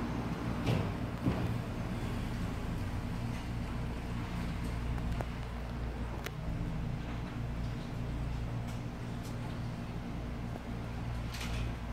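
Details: Indoor hum and distant vehicle rumble run throughout, with faint speech and a few sharp door-like knocks.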